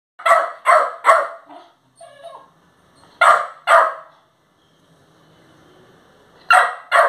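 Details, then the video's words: Aggressive Labrador puppy barking: sharp, bright, high barks in groups of three, then two, then two, with a soft growling rumble between groups and otherwise quiet surroundings. "Aggressive Labrador puppy"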